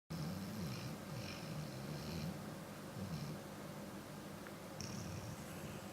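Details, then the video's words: Dakota, a dog, snoring after a long day of playing around outside; a steady low rumbling drone with faint rhythmic breaths and soft hissing overtones throughout. "Dakota Snoring"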